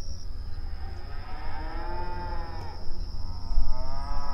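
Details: Open range cattle grazing on outdoor pasture, one drawn-out arched moo around the middle followed by a rising, wavering bellow near the end, over steady low rumbling background noise.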